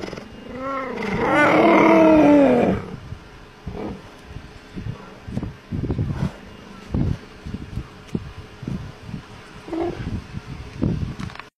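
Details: Cheetah. A cheetah lets out one loud, wavering meow lasting about two seconds. Its pitch arches up and down much like a domestic cat's. Quieter scuffs, thumps and low murmurs follow.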